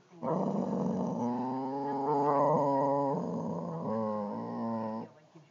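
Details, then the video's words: A pair of boxers squabbling over a wiffle ball give one continuous, throaty growl lasting about five seconds, swelling slightly in the middle before fading out. "boxer dogs bickering over a wiffle ball"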